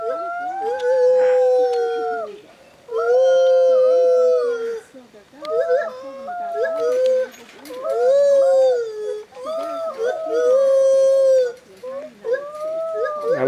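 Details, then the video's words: Stitches, a female white-handed gibbon rescued from a breeding syndicate, calls to a young boy at the Talkin Monkeys Project sanctuary in Florida. She gives long, clear, tonal hoots, slightly arching, in a steady series about every two seconds with short pauses. "STITCHES White Handed Gibbon Ape Monkey Talking with Young Boy"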